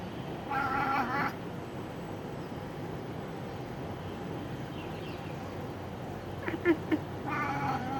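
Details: Pet cat Ringo chattering while watching a bird, with two bursts of rapid, stuttering, buzzy chirps, one near the start and one at the end, separated by a quiet stretch with a few faint clicks and steady background hum.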